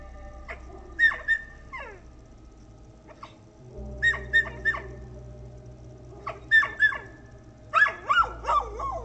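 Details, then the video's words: Female guard dog, described as the owner's most protective and aggressive, barking at a figure approaching the house: clusters of two to four sharp, harsh barks repeated over nine seconds, some ending in falling yelps, over a steady low hum. "my most protective and aggressive dog is barking but she's never sounded like this before"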